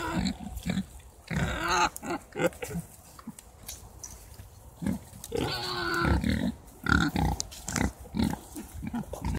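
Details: Grunting Mangalica pigs from a nursery-kept herd: low, choppy grunts in uneven bursts with pauses, and a harsher, noisier snort-like burst partway through.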